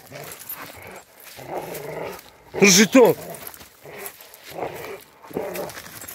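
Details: A Rottweiler in attack training for self-defence gives a pair of deep, forceful barks, the second close on the first, with men's voices talking before and after.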